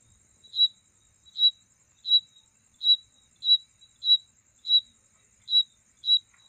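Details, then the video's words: Insect calling at night as a mating sound: clear, piercing high chirps repeated about every 0.7 seconds in a fairly even series of nine, with a soft continuous insect drone above. "Night insect sound"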